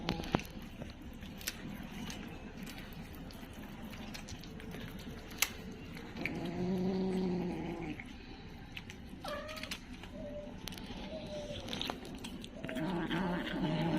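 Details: A kitten gives a small roar: a low, drawn-out growly tone around the middle of the recording and again near the end, surrounded by sharp clicks and handling noise.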